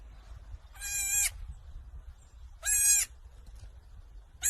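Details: Baby goat kid bleating: two loud, high, nasal cries about two seconds apart, each lasting roughly half a second, with a third starting at the end, over a low background rumble.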